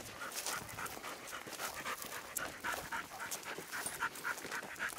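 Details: Young American Bulldog mix recovering from a face wound, panting while out on a walk with a mixed-breed dog companion; quick, rhythmic breathy pants, about three or four per second, steady throughout with light rustling in the background.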